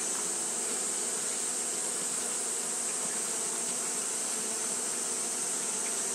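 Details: Continuous fanning buzz from Japanese honey bees during hot weather: an even, unbroken hum with several stacked low tones and a steady sharp hiss riding high above.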